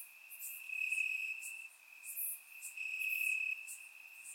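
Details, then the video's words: Night chorus of crickets in Bulgarian grass on a warm summer evening, recorded in surround: one continuous shrill ringing tone, with separate higher chirps overlapping in quick bursts. "Crickets Chirping at Night"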